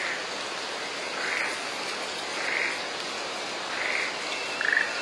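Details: In a mountain village of Shimokitayama, Nara, during the rainy season, short, bright frog calls repeat roughly every second and a half over a steady hiss of falling rain nearly as loud as the calls.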